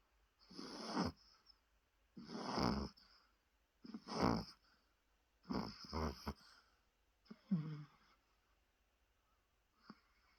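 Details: Exhausted Chihuahua called Rusoe snoring in a small room, short rough snorts roughly every one and a half seconds, some wheezy and whistling, fading toward the end.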